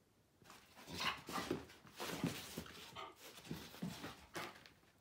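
Miniature Bull Terriers give short, broken whines and yips, with some panting between the calls.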